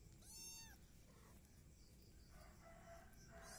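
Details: Mixed Peaknose and Javanese kitten in a village during breakfast, giving one brief high meow, a clear harmonic cry lasting about half a second, over steady low background rumble and a person talking.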